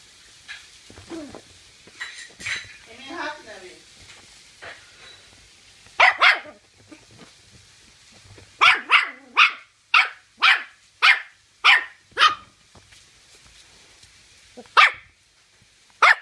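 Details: Toy Terrier named Nikita barking while fighting its owner's hand: a run of sharp, high barks, several in quick succession between six and thirteen seconds, with softer growly whines and brief speech earlier.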